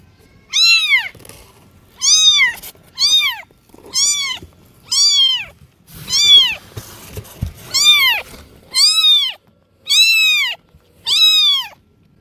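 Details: Domestic cat meowing loudly and repeatedly: eleven short, high, arched meows in quick succession, each rising then dropping, roughly one per second, with faint rustling between calls.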